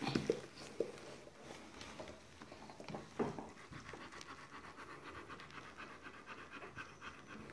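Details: Dobermann during the birth of its D litter, breathing in quick, rough panting bursts. A short high whine and a few sharp louder breaths stand out in the first three seconds, then a steady soft panting rhythm continues.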